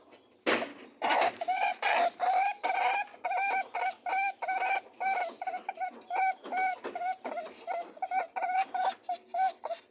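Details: Rabbits mating: quick scuffles open, then a steady run of brief humming honks, evenly spaced and slightly rising at each end, repeated several times a second.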